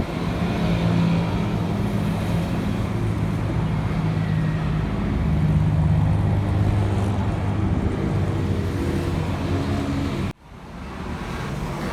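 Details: Loud, continuous road traffic rumbles outdoors, then cuts out briefly near the end, and no animal sounds come through.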